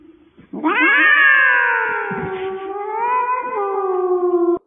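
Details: Cat (Felis catus), meow.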